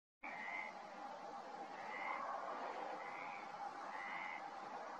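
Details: Perez's frog, known locally as rana común, in a February amphibian roundup; four short, grating croaks spaced about every second and a half, faint against a steady wash of broadband background noise.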